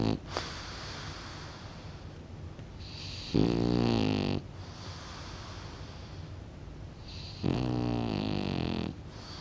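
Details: French Bulldog dozing off and snoring: two loud, rasping snores about four seconds apart, each lasting around a second, with softer rhythmic breathing and faint snuffles in between.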